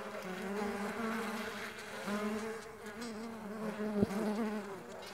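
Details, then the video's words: Steady droning hum of Mandaçaia stingless bees in flight, several wingbeats overlapping into a continuous buzz with layered harmonics and slight wavering in pitch as bees move about. "STINGLESS BEE SOUNDS"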